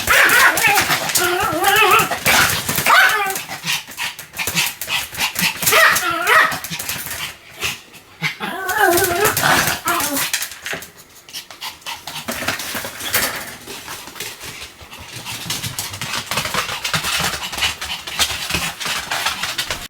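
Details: Pomeranian named Sam barking continuously in a long, insistent run of sharp, high yaps, roughly 105 a minute and unevenly spaced, with short pauses between bursts and faint human voices in the background.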